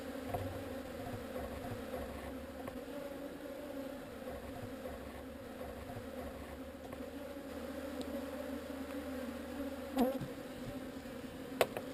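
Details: Quiet, constant drone of a honey bee swarm being relocated, a low hum with a fainter higher band, plus a soft low rumble early on and two sharp clicks toward the end.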